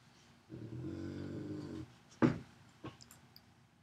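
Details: Giant female St. Bernard/Great Pyrenees mix playing with her new Bernese Mountain Dog sister: a low, rumbling growl holds steady for over a second, then one sharp thud and a few softer knocks follow.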